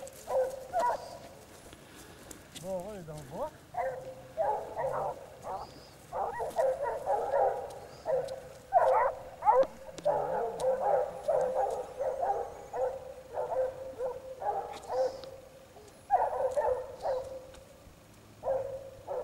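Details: Basset Hounds of the French Rallye de l'Allagnon bloodline trailing scent, baying steadily with many tonal, overlapping barks, while a few human voices and rustling are heard underneath.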